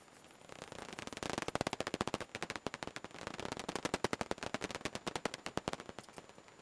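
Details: Emerging from the roost on 12 June 2021, Daubenton's bats produce long, rapid series of crisp broadband clicks, building into a fast staccato rattle with brief pauses, then tapering off near the close.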